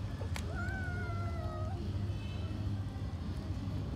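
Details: Sick, weak brown cat among kittens, suspected of being poisoned and off food for two days; one clear drawn-out meow with a sharp onset, holding steady then sliding down, against a steady low rumble and background murmur.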